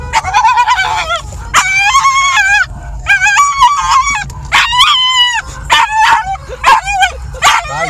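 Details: Excitable Jagdterrier giving rapid bursts of high, strained yelping barks and whines, each with a bright ringing tone that bends up and down, in quick clusters over several seconds.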